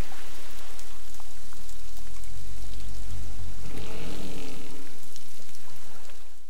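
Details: Southern right whale (Eubalaena australis) recorded underwater off Augusta, South West Australia, during acoustic behaviour research, giving low, moaning tonal calls over steady underwater hiss.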